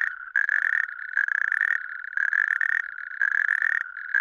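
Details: Natterjack toad in Lääneranna parish, Pärnu county, Estonia: loud, rattling, mid-pitched trills in bursts of about half a second to a second, repeated almost without pause, with overlapping callers forming a near-continuous chorus.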